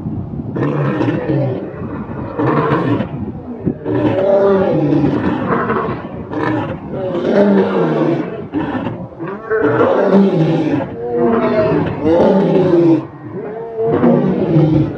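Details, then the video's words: Large animals, among them bulls, gorillas, rhinos and lions, from forests and zoos: loud, deep, harmonic roaring and growling bursts follow one another almost continuously, each lasting one to two seconds, with brief gaps between them. "the big sound of large animals such as bulls, gorillas, rhinos, lions"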